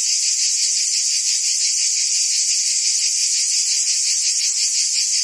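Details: Forest cicadas in the trees keep up a steady, shrill buzzing with a slight throbbing pulse. The sound holds at an even loudness throughout and has no breaks.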